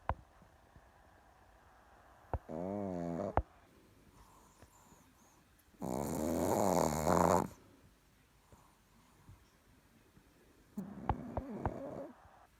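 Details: Chihuahua named Richard snoring sweetly while asleep indoors: three raspy snores about four seconds apart, each with a whistling, wavering nasal tone over a breathy roar, quiet breathing between.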